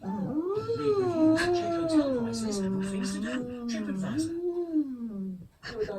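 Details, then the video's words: Pet Siberian Husky humming indoors instead of singing properly: a drawn-out, wavering tonal hum that slides up, dips and levels off over several seconds, with faint background music and a person speaking afterwards. "My Husky Humming Weird Funny Sound Effects"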